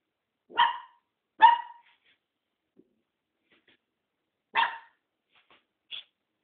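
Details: Newly adopted mixed-breed dog barking indoors. Two sharp barks come close together, then a third follows about three seconds later. A brief higher yip closes the sequence, and the background is otherwise quiet.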